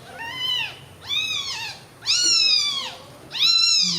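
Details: Four loud, drawn-out mews from newborn kittens resting together, each a bright arching cry lasting about half a second to a second, following one another almost without pause in a small indoor space.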